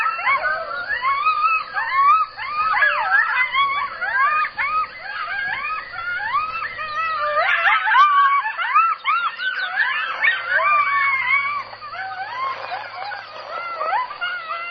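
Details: Coyotes in a dense chorus of overlapping yips and wavering, rising-and-falling howls, many voices crowding together with a brief louder burst near the middle, sustained throughout with no other sounds.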